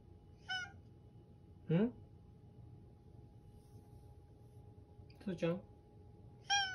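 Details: Toto, a needy house cat, calls with a hoarse voice while trying earnestly to communicate; several short harmonic meows, the first and last bright and clear, interleaved with a person's gentle spoken questions indoors.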